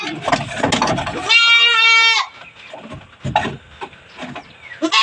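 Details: A goat being dosed with vitamins and dewormer on a small backyard farm. It gives one loud, strained, wavering bleat of nearly a second. Human speech and handling clatter are heard before and after it.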